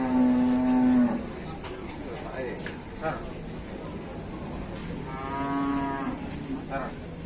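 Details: Raging cow gives a loud, drawn-out moo lasting about a second, then a quieter second moo around five seconds in, with background clatter between the calls.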